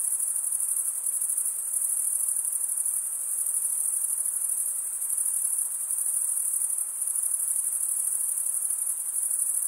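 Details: Male crickets stridulating by rubbing one wing across the toothed vein of the other, forming a dense, unbroken high-pitched trill with a steady shimmer and no pauses, a continuous insect chorus with no other sounds.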